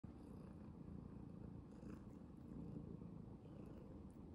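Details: A tuxedo cat purring while grabbing a finger with her paw; a steady low rumbling purr runs through the whole stretch, with faint background hum.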